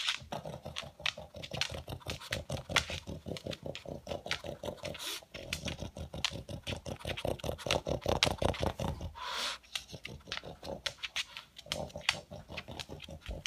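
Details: Vacuum-like snorting from a pet pug searching for leftover food pellets, a dense run of quick, gritty sniffs and snorts with brief breaks, indoors.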